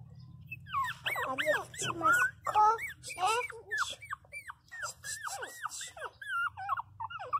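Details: Pinscher puppies crying loudly indoors, a series of high, arching whines and yelps, some bending down sharply, repeated rapidly with uneven spacing; a woman speaks soothingly in Portuguese at times, and a low hum runs underneath.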